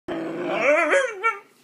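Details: Puppy being taught to bark on command gives a drawn-out, wavering howl-like vocal, rising then bending down, with rich harmonics, indoors in a small room.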